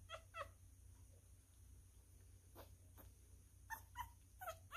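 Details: Hand-fed newborn male miniature schnauzer, eating messily, gives short, bright, bending squeaks, a pair at the start and two more near the end, separated by soft sucking clicks over a constant low hum.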